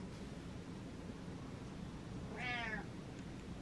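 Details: Butters the cat, talking back to its owner, who asks whether it wants to play: after a stretch of steady room noise, one short, fairly quiet meow near the end.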